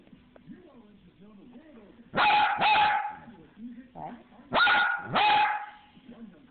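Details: A little dog talking with a big voice: soft, wavering whines and grumbles are broken by two pairs of loud, sharp barks, each pair about half a second apart.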